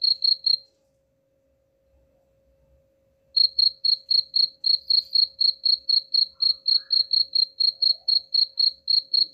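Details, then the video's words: Cricket chirping, played to drive away rats: a few high, even pulses, a silence of nearly three seconds, then a steady run of clear chirps at about four per second. "suara jangkrik pengusir tikus ampuh"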